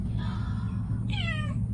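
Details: Domestic cat indoors: a faint drawn-out meow, then a clearer, brief meow that starts high and slides downward, over a steady low hum.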